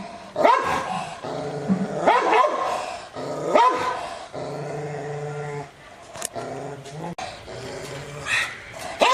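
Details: Angry Rottweiler barking at the camera or toward an off-screen sound, loud gruff barks about every second and a half, separated by sustained low growling, with a sharp click near seven seconds.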